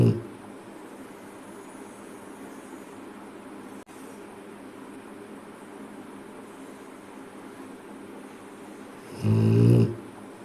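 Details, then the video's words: Bali, a Rottweiler, sleeping and snoring: steady low hiss of breathing, then one loud, rough, low rasping snore near the end. "Rottweiler Bali ke kharratey... snoring"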